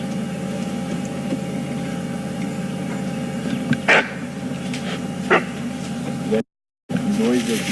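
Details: A bushbuck being hunted by a leopard on an early morning game drive in waist-high grass gives two sharp, hoarse alarm barks over a steady vehicle engine rumble; the leopard missed.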